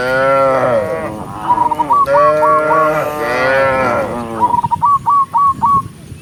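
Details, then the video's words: Tame cattle herd walking together along a countryside path at sunset, mooing to call others home: several long, rich, harmonic moos that overlap, with bursts of short, hooked, whistled notes repeated rapidly in between. "with the sound of cows, cow Sound"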